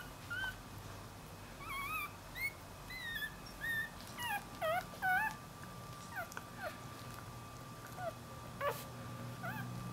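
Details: Puppies from a compilation of pet puppy scenes, giving short high whimpers and squeaky whines, rising then falling, in scattered bursts of one to three over a steady low hum.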